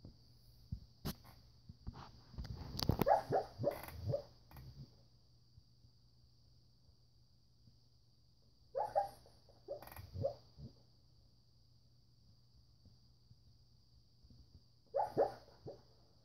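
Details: Siberian Husky, male, asleep and dreaming indoors, gives soft, muffled whimpers and low woofs in three short bouts, near the start, middle and end, separated by quiet breathing over a steady background hum.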